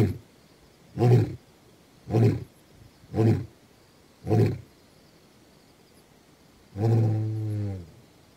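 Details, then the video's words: Male lion Gomondwane, 28 September 2023: four short low grunts about one second apart, then a longer, steadier deep moan, heard at moderate distance over light background noise. "Gomondwane Male Lion Roar"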